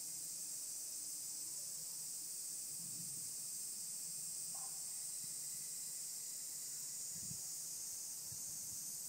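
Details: Mountain cicadas of various species, including higurashi, fill the air with a continuous high, hissing buzz that never pauses. A few soft low thumps and a brief faint tone appear under the drone.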